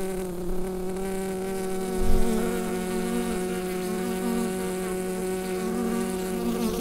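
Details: Steady buzzing of a bee hive through a Rode NT-USB microphone, a deep harmonic drone interrupted by one dull low bump around two seconds before settling back to even humming.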